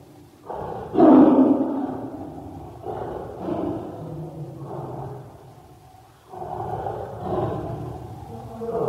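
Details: Tiger roaring, harsh broad low bursts at about one, three to four and seven seconds, each with a loud rough onset then fading growl, rumbling continuously between them.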